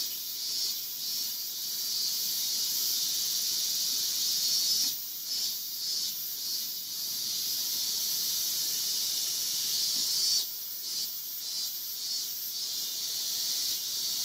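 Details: Male Yabukiri katydid on a guardrail in Iwanuma, Miyagi, Japan, August 20, 2021; long stretches of high sizzling buzz, broken by brief pauses near five and ten seconds before resuming.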